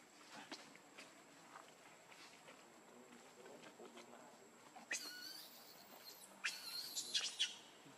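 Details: Baby monkey Lucie lets out shrill, harsh screaming cries in two bursts: a single squeal lasting about a second, then a broken run of piercing squeals, over a quiet background with faint scattered clicks.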